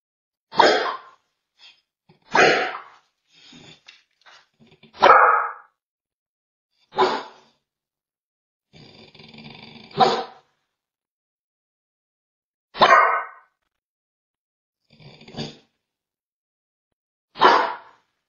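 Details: A Bull Terrier "talks" to a dog camera with short, throaty barks and grumbling vocal bursts spaced a few seconds apart.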